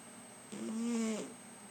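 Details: Domestic cat asleep on a lap, giving a single drawn-out snoring breath under a second long, a wheezing tonal whine with a steady high hiss behind it.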